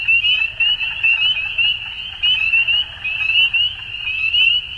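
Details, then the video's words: Frogs at spring dusk in Ontario, Canada: loud, shrill, overlapping peeps forming a continuous chorus, with clear upward-sliding notes standing out and volume pulsing about once per second. "Frog Sounds At Dusk"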